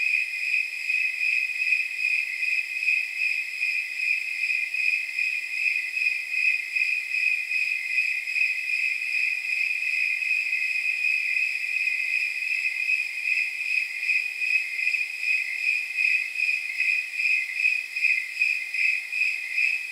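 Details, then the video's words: Rhythmic jingle-bell chirps of snowy tree crickets on a warm night of about 79 degrees. High, shrill pulses repeat steadily about 77 times a minute, forming an unbroken ringing chorus with nothing else audible. "Snowy Tree Crickets 10 Hour Sleep Sound"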